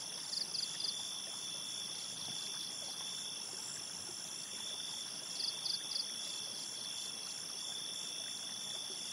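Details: Crickets calling at night by a forest river, brief clusters of high pulsed chirps every few seconds above continuous trickling stream noise and steady high-pitched insect tones.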